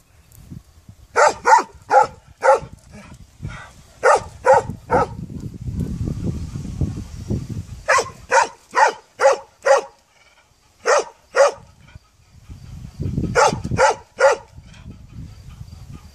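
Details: A barking puppy gives fast runs of three to five high, clipped yaps, pausing between runs while a low rumbling noise rises and fades.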